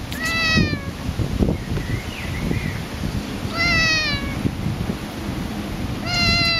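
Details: Cat met outdoors during a walk, yowling: three drawn-out, wavering harmonic yowls spaced roughly three seconds apart, each sliding slightly downward, over constant low rumbling outdoor noise.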